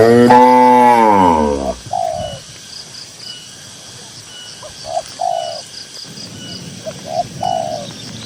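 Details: One of dozens of cows in a grassy pasture moos once, a strong harmonic bellow falling in pitch over about a second and a half, then quieter outdoor ambience with scattered short, higher cooing notes.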